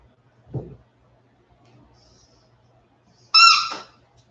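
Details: Indoors after an outdoor break, 47-day-old West Highland White Terrier puppies; one gives a single short, high yelp with stacked harmonics, preceded by a soft low thump, otherwise a quiet room.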